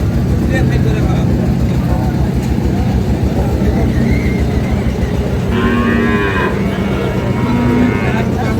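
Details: Sahiwal bull calves at Ambari cattle market, Parbatipur, Dinajpur, on 9 February 2026; a moo rises amid loud market crowd noise, a steady low engine hum and bargaining voices.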